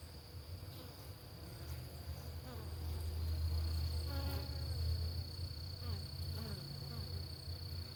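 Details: Homestead hive of Italian honeybees, a gentler strain, at breakfast time: a low, dense buzzing hum that grows louder mid-way, with thin rising whines of bees flying past.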